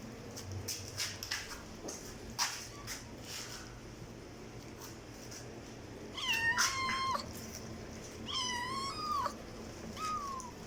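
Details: Loud meowing from a domestic cat: after several seconds of scattered clicks and knocks, two drawn-out, slightly falling meows about two seconds apart, then a shorter third meow near the end.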